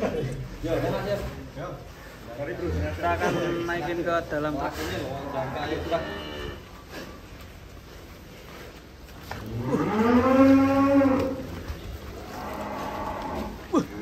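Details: Large cattle being loaded onto a truck in Indonesia: a long, low moo with rising then falling harmonics near the end, among music, clapping, and people's voices calling out.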